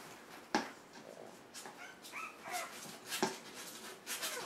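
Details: Puppies turning one month old on January 7th, kept in a play pen; thin rising whimpers and squeaky yips break out between sharp knocks and bedding rustle in a small room.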